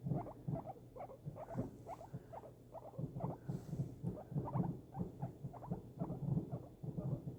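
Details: Indoor guinea pig responding to fireworks while being snuggled. It keeps up a rapid, continuous chain of buzzy pulsed notes, several per second, over low thumping rumbles.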